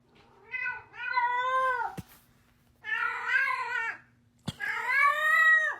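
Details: Domestic cat indoors making weird sounds: three long, drawn-out meows, each about a second, wavering slightly in pitch and sagging at the end. The meows are separated by short pauses, with two sharp clicks between them.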